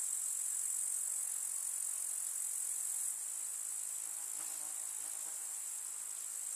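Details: In a village summer meadow, grasshoppers keep up a continuous high, sizzling stridulation; a short low hum and faint clicks appear after four seconds.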